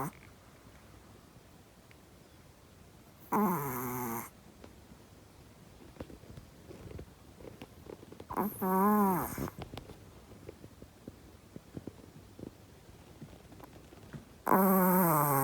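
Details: Deeply sleeping Chihuahua giving three rough snoring breaths about five seconds apart, each under a second long and buzzy, with faint soft noises in the quiet room between them.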